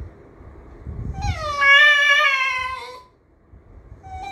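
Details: Pet miniature schnauzer "talking" or complaining indoors: a single sustained whine of about two seconds, starting higher, wavering, then sliding down at the end, preceded by soft low rustling and followed by quiet.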